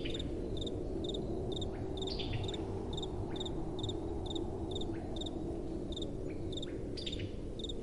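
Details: Crickets at night with gentle wind: short high chirps repeat roughly twice a second in a steady beat, with a faint higher overtone, over a constant low rush of wind.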